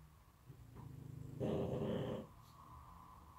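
A pug snores in deep sleep, a loud rattling rasp swelling briefly over quieter breathing.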